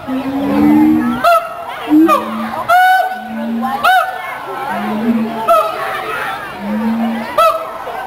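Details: Mated siamang pair singing a duet in a zoo enclosure to establish territory and reinforce pair bonds: low steady hoots alternate with loud rising whoops and sharp barks, repeating roughly every one to two seconds, over a murmuring crowd.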